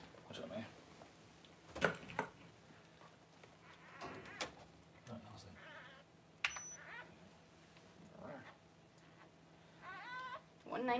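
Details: Newborn Cavalier King Charles Spaniel puppies during whelping as their mother Paris delivers her first litter indoors around January 1; short high whining squeals that rise and fall, clustered near the end, with quiet human talk and rustling between them.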